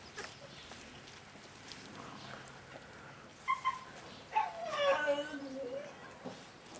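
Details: Thirty-eight-day-old Staffordshire Bull Terrier puppies of a kennel litter whine, with brief squeaks followed by a longer falling, wavering whimper near the middle of the clip.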